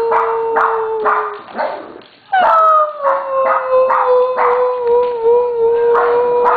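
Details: Siberian Huskies, a trio of pets called Simba, Crystal and Aspen, joining in a howl on their owner's cue; choppy barking gives way after a brief pause to a sliding, wavering howl mixed with quick yips.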